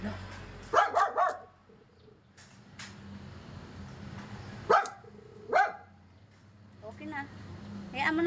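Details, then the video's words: Yorkshire Terrier upset by a gas delivery man: a quick burst of three barks, then two more spaced barks later, with a woman's voice and household background noise. "stress si Yorkie sa nag deliver Ng gas"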